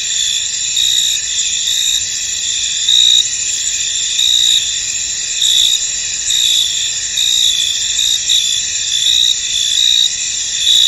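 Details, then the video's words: Shrill, unbroken insect chorus from crickets in a misty field, layered high trills with gently surging chirp pulses and otherwise quiet background. "Tranquil Cricket Sounds In An Misty Field"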